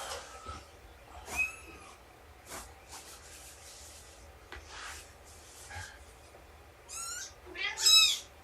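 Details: Domestic cats indoors during nursing and play time with Shelby, an abandoned mother cat about two years old, and her roughly three-month-old kittens; quiet clicks and shuffling, then a few high, arched meows near the end.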